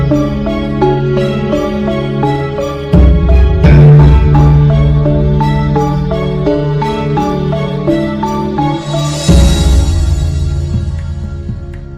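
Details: Gentle instrumental music with mellow pitched tones and a steady low bass plays throughout, with no animal voices.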